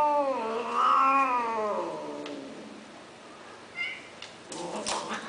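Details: Indoor male cat offered for mating at the Wahat Al-Reem cattery, giving a loud, long wavering caterwaul that rises then sags for about two seconds, followed by a short high mew and some rustling and handling noise.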